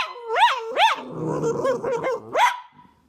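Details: Dog producing funny noises: rising yelping barks with sharp upward sweeps, a rough grumbling middle section, and a final yelp trailing into a thin whine.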